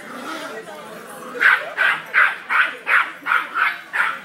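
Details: Tiny cairn terrier weighing 5 lb barks aggressively at a large St. Bernard in a pet shop, a steady run of eight sharp high yaps about one every third of a second, after brief murmured talk.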